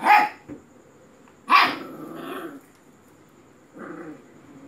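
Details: Puppy barking: two sharp, high yaps about a second and a half apart, a rougher growling tail after the second, then a softer bark near the end.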